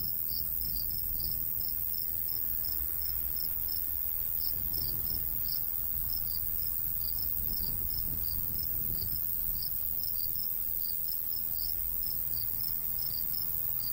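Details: Crickets in summer countryside beside a golden wheat field, a light breeze blowing: steady rapid high chirps repeating throughout, several callers overlapping, over a low rumble of wind.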